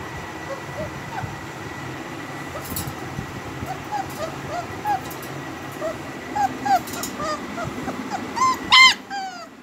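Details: Heavy-boned, double-coated home-bred German Shepherd puppies whimpering, short high squeaky whines scattered from four seconds on, building to a louder yelping cluster near nine seconds, over a steady background hum.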